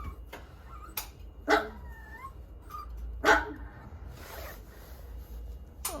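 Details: Bichon Frise puppy, four months old, recovering at home from parvovirus after hospital care: two high yappy barks roughly two seconds apart, with brief squeaky whine-like notes and soft clicks between them.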